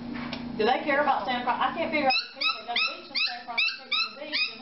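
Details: Corgi, described as funny and confused, giving a run of short, rising, whiny yips in quick irregular succession, roughly two or three a second, after a brief stretch of overlapping human voices.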